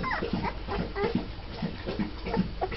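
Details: Litter of twelve-day-old Mastiff puppies just starting to walk, giving overlapping soft whimpers and low grunting squeaks, several pups at once in a continuous murmur.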